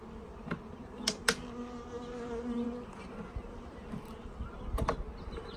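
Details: Many honey bees flying in a bee yard during installation of a package of bees; a continuous low humming drone with passing wing whines, plus sharp clicks and taps from handling equipment.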